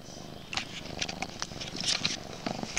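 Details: Max, also called Maxwell, a pet kitten recorded late at night indoors, purring throughout while attacking the camera over and over; soft rough purring mixed with scratchy rubbing bursts as he paws and bumps against the microphone.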